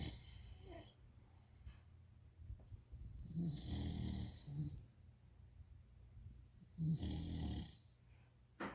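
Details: Sleeping English bulldog puppy, troubled by dreams, snores indoors: two long, rasping, low rumbling snores with hissy breath on top, the first around three seconds in, the second near seven seconds, with quiet breathing in between.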